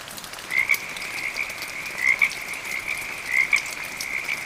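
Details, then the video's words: Frog calling amid medium rain: short, high chirped notes in close pairs, repeated roughly every one and a half seconds over a steady ringing drone, with light rain patter ticking throughout. "RAIN, THUNDER AND FROG SOUNDS"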